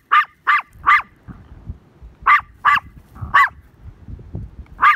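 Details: Tiny Maltese dog barking while chasing a herd that runs away: sharp, high, yappy barks in quick pairs and triplets, about eight in five seconds, over low thudding and trampling noises.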